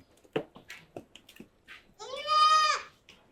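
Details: Goat on a farm at evening feeding time, as young kids come out last; one loud, drawn-out bleat with a steady wavering tone lasting under a second, preceded by scattered short clicks and shuffling sounds.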